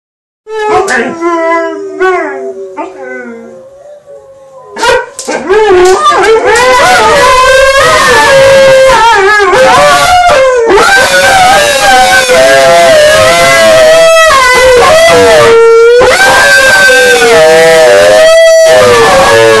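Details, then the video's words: Two Alaskan Malamutes howl or "sing" together in long, wavering, tonal notes that slide up and down. "Alaskan Malamute Singing Practice :D"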